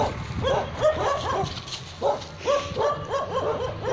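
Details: Dogs at Naaz Kennel in Khanna, Punjab, a kennel keeping Tibetan Mastiffs and Gaddi dogs, bark in quick bursts of two or three deep, harmonic woofs, pausing briefly between volleys.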